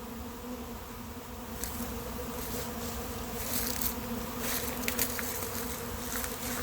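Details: Steady low hum of a late-season honey bee swarm entering an empty hive, 2021, with sharp clicks and rustling bursts scattered through the second half as the drone swells slightly louder.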